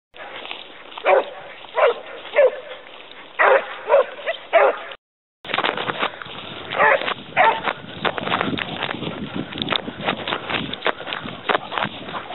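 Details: Pack of Basset Hounds hunting a hare: short, loud, resonant bays in a run of about six, roughly one every 0.7 seconds, then after a brief break a denser chorus of overlapping bays and yelps from several hounds, over a steady background hiss.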